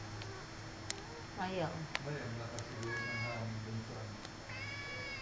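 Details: Domestic cat meowing indoors, several harmonic meows with falling pitch and later short rising mews near the end, a steady low hum underneath, sharp clicks, and a person speaking softly in Filipino calling the cat.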